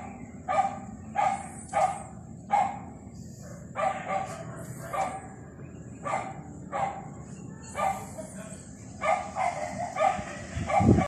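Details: A rolling dog yaps repeatedly, roughly fourteen short, tonal barks spread over eleven seconds, some in pairs, against a steady faint high whine and low murmur, ending with a louder thump-like rumble.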